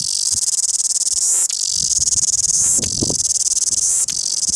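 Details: Loud cicada singing in Wellington: a dense, shrill, rapidly pulsing buzz sustained high in pitch, broken by brief gaps about every 1.3 seconds, over faint low rumbling.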